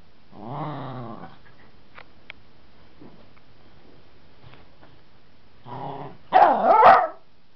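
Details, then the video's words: Playful pet dog taking on a wooden baseball bat with growls and barks: a harmonic growl at the start, a quiet stretch with faint taps, then another growl and a loud, harsh burst of barking at the end. "Marley gets too big for his boots!"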